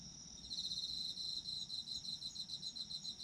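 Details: Chorus of autumn insects for sleep ASMR, a fast pulsed high trill fading in after a brief pause, then running steadily with a continuous high whine behind it and faint low noise.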